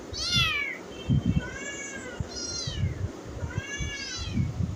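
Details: Domestic cat giving four high, drawn-out meows, each rising then sliding down in pitch, spaced about a second apart, with soft low thumps and handling noise underneath.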